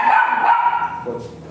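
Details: A dog at a veterinary clinic in Mapandan, during an artificial insemination breeding service where both dam and sire are still virgin, gives a high, sustained whining yelp that holds a steady tone, then fades after about one second.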